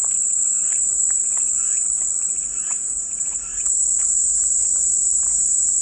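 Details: Cicada chorus as calming white noise: a steady, unbroken high-pitched buzzing drone holding one shrill level throughout, with faint scattered chirps and clicks beneath it.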